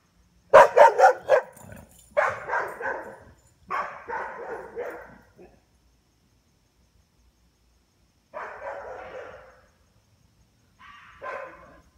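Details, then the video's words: Nighttime barking at a fox: a dog fires off a fast volley of barks, then longer, rougher, drawn-out barking bursts, a gap of silence, and two more strained barks. "Dog barking at fox"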